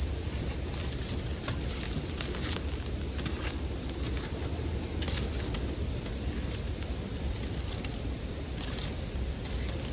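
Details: Bell crickets chirring in a dense, unbroken high ringing band that holds steady throughout, with frequent soft crackles and pops from a campfire scattered across the recording.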